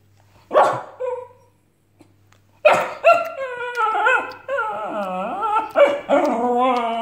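A Cairn Terrier gives two quick barks, then a long run of wavering, yodelling whines and moans.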